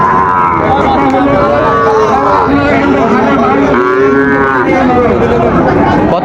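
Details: Sahiwal breed bull calves at Raniganj market in Dinajpur, Bangladesh, 9 September 2024; two long, rising-then-falling moos, each lasting over a second, stand out above constant chatter of buyers and sellers.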